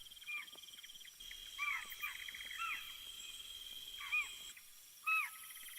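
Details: In Yala, distant spotted deer give sharp, high alarm calls over a steady insect hum, signalling another leopard wandering nearby.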